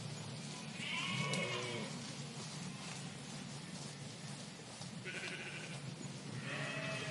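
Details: A flock of sheep in a park calls with quavering, nasal bleats, some overlapping as different animals answer, over a steady low rumble of distant traffic or wind.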